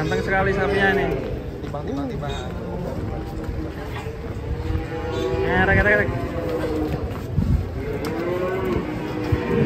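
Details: ['Cattle being unloaded from a truck, lowing in several drawn-out moos with rising then falling tones, over a constant rumble of engine, crowd and background music.']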